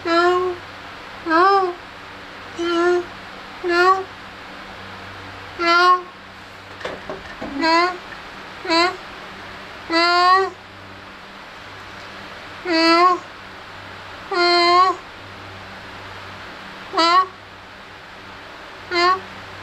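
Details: Kittens playing and feeding, mewing in short rising-falling meows about every one to two seconds, with a steady low hum beneath.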